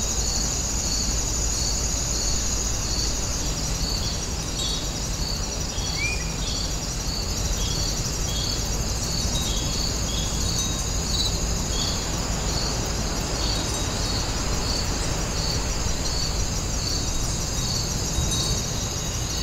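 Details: Grass insects chirp in high, steady pulses without pause over a low, constant hiss, recorded outdoors at Woninjae, a traditional house site.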